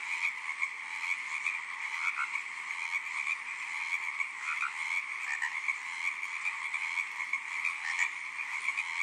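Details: Many tree frogs calling together in an unbroken song, rapid rattling croaks stacked into a steady high-pitched drone with small swells in loudness and occasional louder individual notes standing out.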